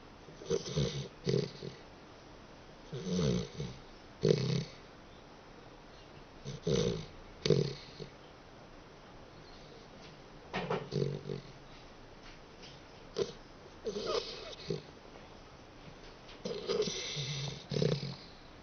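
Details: A sleeping dachshund snores indoors: rough, rasping snorts that swell and fade in regular bursts roughly every three seconds, each with a low rumbling core and a breathy hiss on top, with quiet pauses between.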